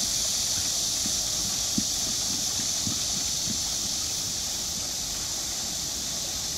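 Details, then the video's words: Summer cicadas at Namsangol Hanok Village, Seoul, 12 August 2024, make a continuous shrill buzzing wash. Splashing from a turning water wheel adds soft rhythmic thumps underneath. "매미 울음 소리"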